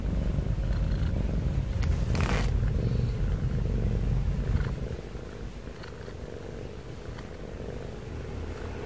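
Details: Pet cat snoring with heavy breathing, a deep rapid rumble that runs loud for about five seconds, then drops to a quieter drone; a brief rustle or knock partway through.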